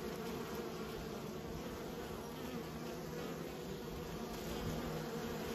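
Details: Kept honey bees produce a thick, unbroken hum, the many wings blending into steady low tones with slight swells in loudness.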